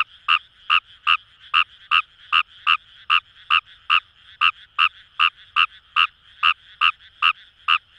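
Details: Paddy-field chorus of Fejervarya kawamurai in Itoshima, Fukuoka: one frog repeats short, crisp croaking pulses about two and a half per second for the whole stretch, evenly paced, with faint chorusing frogs underneath.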